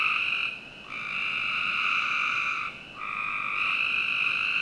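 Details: Nighttime frog calls from a Northern Virginia backyard in summer. A long, continuous, buzzy trill is broken by two short pauses, and neighbouring callers blend into the sound.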